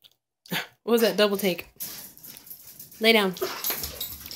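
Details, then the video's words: Pet dog 'talking' while he wants bacon, serious about it: two drawn-out, wavering, yodel-like whines with rising and falling pitch, separated by a pause, with a person speaking nearby indoors. "my talking dog"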